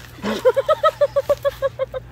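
An American bullfrog gives a rapid run of squeaky, tonal yelps when frightened.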